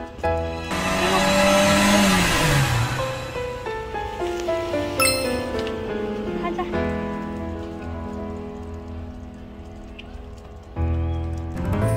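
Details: Background music with sustained tones mixes with a rushing, wind-like swell and brief speech, with no animal voice.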